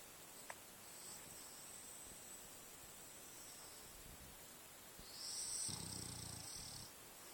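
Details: French Bulldog asleep and dreaming after a long, adventurous day in the forest; one drawn-out, low, rasping snore rises near the end over a quiet, steady hiss, with a faint click early on.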